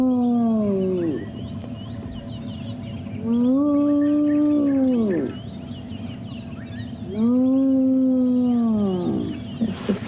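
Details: At sunrise on 11 January 2016, a spotted hyena near its clan's cubs gives three long whoops, each swelling then sliding down a few seconds apart; the cubs react, and the call is described as a very high-pitched whooping call.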